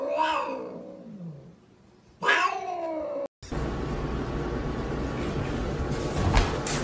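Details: Domestic cat meowing twice, a long wavering cry followed by a sharper rising one after a short pause, then loud broadband noise and music.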